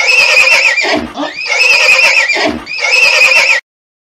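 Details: Horse neighing in three loud, shrill whinnies of about a second each, with short breathy gaps between them, each bright and quavering with a high, shaking tone.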